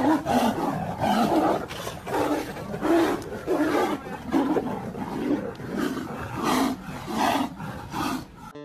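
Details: A white tiger and a Bengal tiger fighting, with harsh, rasping roars and snarls bursting out in rapid, uneven succession.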